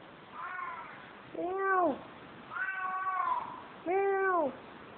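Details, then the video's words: Female cat in Kos, Greece, meowing constantly while trying to get into a room; four clear, tonal meows about a second apart, some arching down at the end, others drawn out and level, over a soft background hiss. "unreal cat in greece -she meows constantly!!!!"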